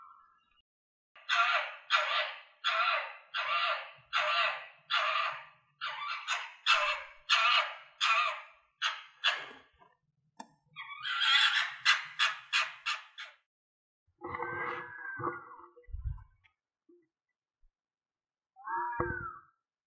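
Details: Foxes calling in a rapid run of about fifteen harsh, rasping barks, then a quicker chattering burst. A few short, tonal squeals with low thumps follow near the end.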